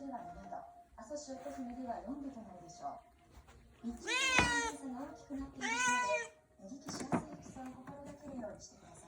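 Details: Orange tabby rescue cat pressing for its meal indoors: two strong, wavering meows in the middle, then a shorter one, over steady human speech in a small room.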